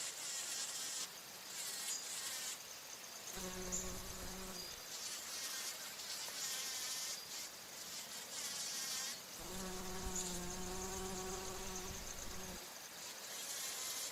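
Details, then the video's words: Bumblebee drinking nectar at flowers or flying: two low, steady droning buzzes, one about a second long and a later one lasting about three seconds, over a continuous high-pitched hiss of other insects. "Bee humming / buzzing sounds | Bumble"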